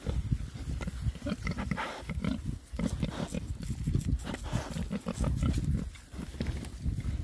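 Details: Six rare breed Oxford Sandy and Black boars enjoying a winter forage between storms; dense, continuous low grunting and oinking from several pigs, with snuffling and rooting noises throughout.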